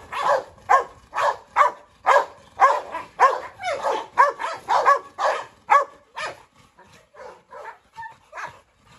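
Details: Three dogs, a brindle Presa Canario, a Rottweiler and a Staffordshire, stirring up trouble together; loud barks come roughly twice a second for six seconds, then fade into softer, scattered yelps.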